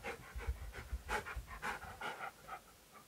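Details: Keyush, a fluffy male dog, pants while searching for his hiding owner during a game of hide-and-seek indoors; quick breathy puffs repeat at a steady rhythm, roughly two or three per second, with no other clear sounds.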